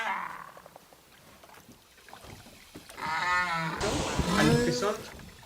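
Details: A Southern right whale, of the kind visiting Península Valdés, gives calls rather than songs: tonal, moaning sweeps that rise in pitch, with background music.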